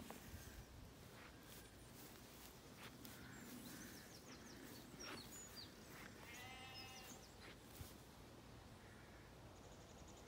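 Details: Zwartbles sheep, jet black lambs and hoggets, in a field on a regenerative farm in County Kilkenny, Ireland, on an evening walk; one distant, brief harmonic bleat amid steady outdoor noise and scattered high bird chirps as swallows feed overhead.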